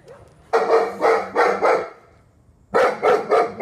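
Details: German Shepherd Dog reactive to dogs and people, in training in Virginia: two bursts of three loud, deep, harsh barks, evenly spaced about a third of a second apart, with a short quiet gap between the bursts.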